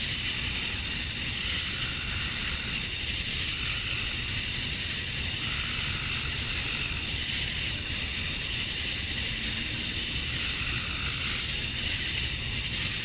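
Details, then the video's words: Cicadas at dusk on a Georgia, USA summer night, males singing for females: a constant shrill wall of buzzing at a high pitch, unvarying and seamless from start to finish. "Cicadas at Dusk, Summer Night"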